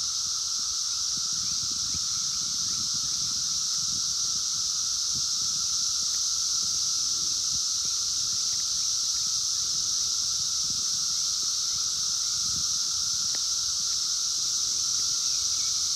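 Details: Massed 17-year periodical cicadas of Brood X calling outdoors in 2021, captured by phone: an intense continuous high-pitched hiss and a sustained humming tone that never pause, with faint rustles and an occasional click.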